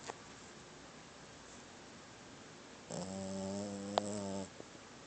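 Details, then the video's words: Sadie, a sleeping pet dog with tiny teeth, snores indoors: after quiet breathing comes one low, steady, buzzy snore lasting about a second and a half, rich in even harmonics, then a faint click and quiet again. "Snoring Sadie"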